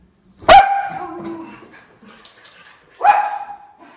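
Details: A white Miniature Schnauzer, Levi, watches for crows in Aroostook County, Maine, on 27 August 2021. Two loud, separate barks about two and a half seconds apart, each ending in a brief ringing tail.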